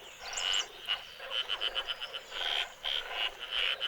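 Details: Madagascar brown frogs in baobab forest after a night of heavy rain, males turned bright yellow for a once-a-year mating event: high, short chirping notes repeated in quick bursts, several overlapping callers.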